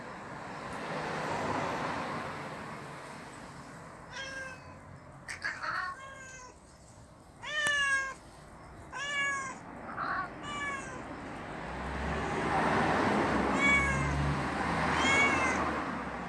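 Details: Street cats fighting in a storage area, with a series of short harmonic meow-like cries in quick bursts, some rising and falling, over a rushing background hiss that swells toward the end.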